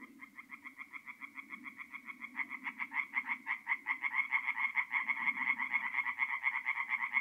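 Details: Night chorus of tree frogs at a forest pond in North-East Italy, mid-April; one caller's quick nasal pulses build as more frogs join, growing louder and denser, with a faint low drone underneath.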